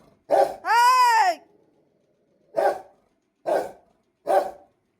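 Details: Rottweiler, said to be very angry, indoors: a short bark, then a long arched whining yelp with rich harmonics, then three more separate sharp barks spaced about a second apart.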